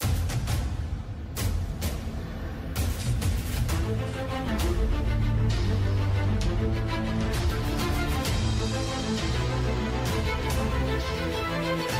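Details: Dramatic orchestral soundtrack music with steady pulsing beats, deep timpani-like drums and sustained low tones, with no animal voices heard.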